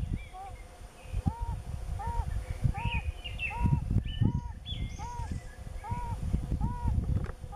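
Yellow-bellied toads call in the mating season, each giving a soft, mellow, slightly rising-and-falling hoot repeated about twice a second. Low rumbling noise sits underneath, with a few faint bird notes higher up.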